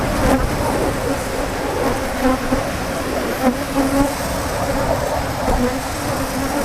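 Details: Africanized honey bees swarming angrily as their honey is taken, a thick, unbroken buzz with faint pitch wobbles and a few soft bumps.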